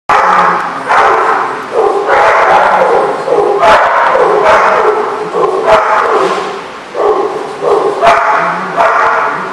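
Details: Dogs recorded on July 18, 2014, barking loudly and repeatedly: harsh, mid-pitched barks in quick bursts about every second, some overlapping, with short gaps in between.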